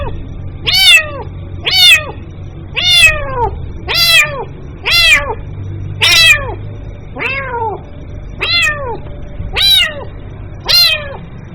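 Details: Kitten meowing to call its mother: eleven insistent, high, downward-sliding meows, roughly one per second, with a faint low hum underneath.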